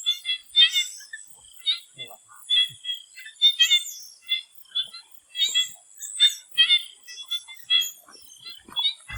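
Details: Swamp frogs calling before sunset: bursts of clicking, rattly croaks in a mid-high register, several callers overlapping in irregular clusters, over a constant high insect hiss.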